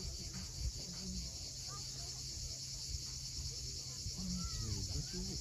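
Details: Evening cicadas on the Crimean coast near Cape Fiolent give a steady high droning hiss, partly masked by heavier surf rumble, with several brief curving bird whistles scattered through the recording.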